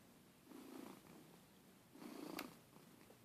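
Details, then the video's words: Domestic cat snoring loudly indoors: two soft rasping breaths about one and a half seconds apart, each a low hoarse rumble lasting about half a second, over steady room hiss. "My Cat Snoring"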